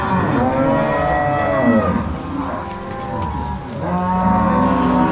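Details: Herd of crossbred Angus-Nelore cows moved from corral to pasture by cowboys and dogs in Ortigueira, Paraná, Brazil, March 2022; several long, low moos overlap, a lull near the middle, then fresh bellowing.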